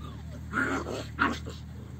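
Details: Siberian Husky puppies from a litter of eight at a yard in Remels, Germany: two brief, bright whining yelps half a second apart, with a soft low hum in the background.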